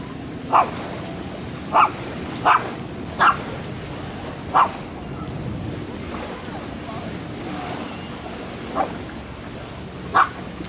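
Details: Dog barks recorded handheld on a Sony FDR-AXP55 camcorder: a run of five quick sharp barks, a pause, then three more, one of them softer, against steady background noise.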